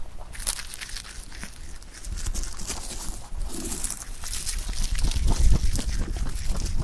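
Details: Close-up sound of a pet rabbit eating clover: rapid irregular crunching bites over a low rumble, with rustling of leaves growing louder toward the end.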